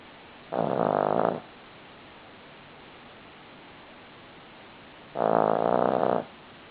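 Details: Buddy, a Cavalier King Charles Spaniel, snoring while asleep. Two rough, buzzing snores about a second long, spaced roughly four and a half seconds apart, separated by quiet breathing pauses over a faint steady hiss.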